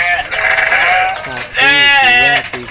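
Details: Goats, large and small, calling while being fed in a village; a high, strained bleat followed by a lower, wavering harmonic cry, each under a second, loud and close.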